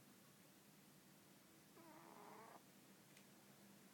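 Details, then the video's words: Sleeping pet cat Cannoli gives one wheezy, whistling snore near the middle, about a second long. The rest is quiet room hum, broken by a brief tick. "Cat Cannoli snoring"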